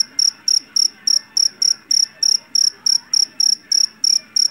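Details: Field cricket of the Javanese type, captured in a rice paddy, chirping shrilly and loudly, each chirp a tight trill of several pulses, repeated about three times a second against a soft murmur.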